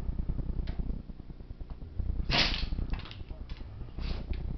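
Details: Sneezing attack from Monty, a black Lab aged seven: one loud, hissing sneeze burst in the middle, with weaker snorting puffs after it and a steady low hum underneath.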